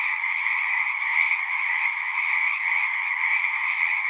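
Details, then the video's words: Steady frog chorus from a horse-pasture pond, Zoom 6 recording; countless callers blend into one continuous high trilling hum without breaks. "Frogs singing"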